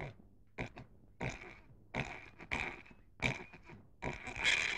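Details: Pig grunting in short nasal bursts roughly every half second to second, the last grunt drawn out and louder, with a faint low hum underneath.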